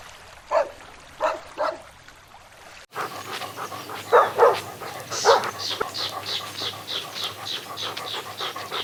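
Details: Dogs playing and chasing on lush grass: three sharp barks about a second apart, then a cut to steady light yipping and panting-like rhythmic sounds.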